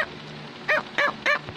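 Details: Cavalier King Charles Spaniel Samus, wanting to tell her owner something, gives three quick high yipping barks spaced about a third of a second apart, just after being praised as a good girl.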